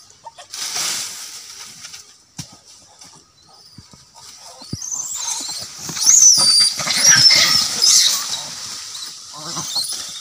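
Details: Monkeys in an angry fight. After a quieter start with scattered rustles and clicks, shrill high squeals rise and fall in the second half, loudest and most tangled around the middle-to-late seconds.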